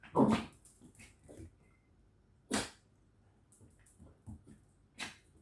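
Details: Dogs kept at home, a village dog named Candy and a corgi named Angel, playing indoors; one loud short bark opens, followed by softer grunts and a few sharp noises spaced over several seconds in a small room.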